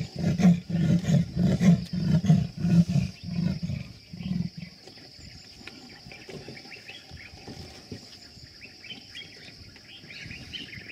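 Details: Sri Lankan leopard calling in Yala National Park, Sri Lanka: a loud series of about nine deep, rasping sawing strokes, evenly spaced over four seconds, then fading. A steady high whine continues behind it, with faint bird chirps later.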